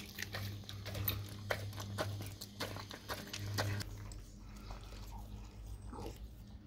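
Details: Dog biting into raw cow tongue with loud crunching chews in the first few seconds, then quieter, sparser smacking and licking; a low hum runs throughout.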